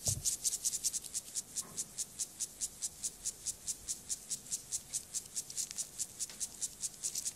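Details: Grasshopper Gomphocerus sibiricus stridulating in a sexual behaviour sequence: a long, regular run of sharp, dry, high scraping pulses about five each second, with a soft rustle at the very start.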